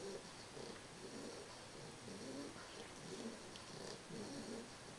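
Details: Sleeping English bulldog puppy Carles, three months old, breathes in rough, buzzy snores that repeat evenly, roughly twice every two seconds, against steady hiss with no other voices.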